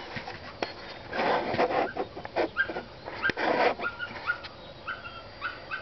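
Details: Several neighbourhood dogs barking on a Saturday morning after starting around 5:30 and keeping people awake; irregular bursts of harsh barks and yelps overlap, some rising whines, with a steady background hiss.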